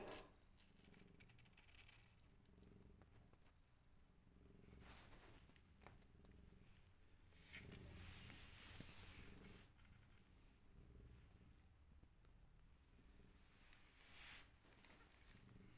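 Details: A rescued mother cat with five kittens; a long stretch of soft, continuous rumbling purr in rhythmic waves, partly masked by hissing rustles and handling sounds that come and go.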